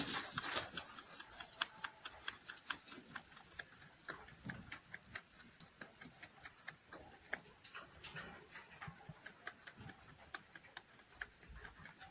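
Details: Rabbit chewing hay in a small indoor space, heard as quick, irregular crisp ticks and crunches, roughly two per second, fairly soft, with a brief louder rustle at the start.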